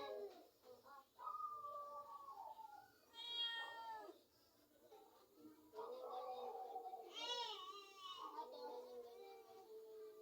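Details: A domestic cat toying with a mouse it has caught gives two short arched meows, about four seconds apart, while people talk in Filipino almost without pause over the whole recording.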